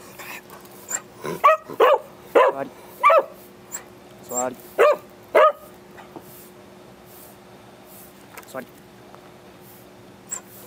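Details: Excited pet Beagle at home being put through tricks: a quick run of about seven sharp, yelping barks in four seconds, then a few scattered single yips, while a person repeatedly gives the command to sit.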